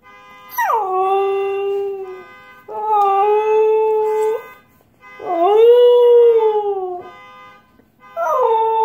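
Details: Husky howling in response to a car alarm: three long howls, each sliding down from a high start into a steady drawn-out tone, with a fourth just beginning, over the continuous layered electronic tones of the alarm.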